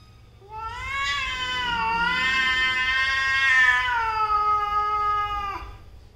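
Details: Cat mother and daughter in a heated quarrel: one steady, drawn-out yowl held for about five seconds, slightly wavering before it drops off abruptly.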